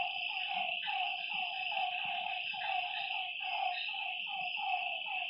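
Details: Frogs calling at night by a lake: short, falling, tonal notes repeated rapidly by several overlapping callers, over a constant high-pitched insect drone.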